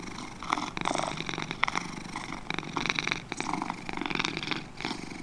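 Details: Purring from two domestic cats: rough buzzing rumble pulsing with breathing, bursts repeating about every second with a couple of softer dips, otherwise quiet surroundings.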